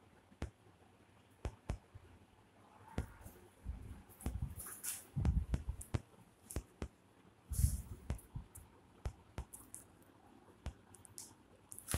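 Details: Scattered sharp clicks, taps and soft thumps sound in a quiet room, with no calls or cries heard.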